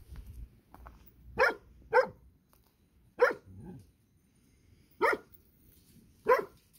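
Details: Rural puppies, seen again after forty days and grown much bigger, giving short sharp yelps, five spaced cries over several seconds in a quiet setting, with a person's brief murmur.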